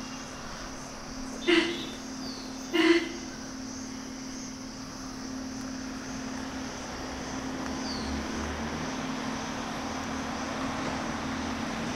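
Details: A steady engine-like drone with broad background noise and two brief knocks near the start; no animal calls.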